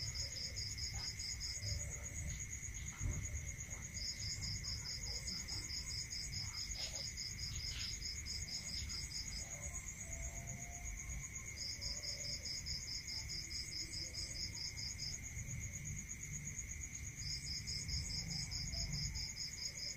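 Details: Rural night chorus of crickets, a constant high shrill drone topped by repeated trains of fast evenly spaced pulses lasting two to four seconds each, with a steady lower hum and faint low rumble beneath.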